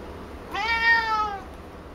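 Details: A clear, steady meow under a second long comes from Picchi, a female cat who grows very vocal when shown a ball of her own brushed-out hair, indoors.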